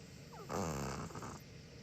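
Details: A single raspy snore from a dozing pet Chihuahua, one of two siblings (white male, six; black female, five), opening with a brief squeaky nasal whistle before a low, fluttering rumble that fades out.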